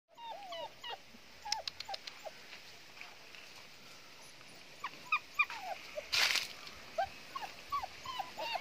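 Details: German Shepherd puppies whimpering and yelping, short high squeaky falling notes scattered irregularly, with a brief burst of noise partway through.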